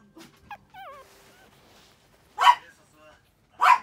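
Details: Lively male Toy Poodle puppy giving thin, wavering high whimpers, then two short, sharp barks about a second apart; faint speech in the background.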